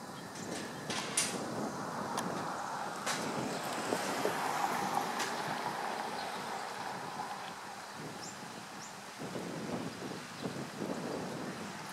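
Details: Steady wind and low rumbling background noise with a few knocks and clatters, and no clear animal calls.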